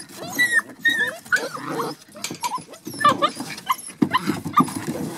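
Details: Litter of Border Collie puppies aged 7½ weeks: a busy mix of short whimpers, bending squeals and low growly grunts, uneven bursts with brief pauses, pups vocalising together.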